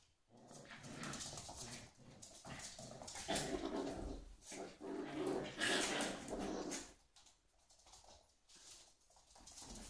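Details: Two whippets, Ava and Ramses, playing together indoors: rough, breathy bursts of growling and scuffling come in uneven waves for about seven seconds, then fade to quieter snuffling.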